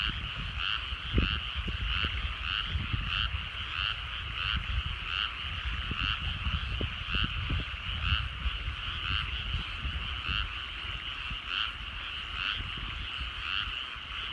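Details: Evening frog chorus over countryside rice paddies at sunset: many frogs give rapid, pulsing croaks that rise and fall in regular waves, over a low background rumble with scattered soft knocks and thumps.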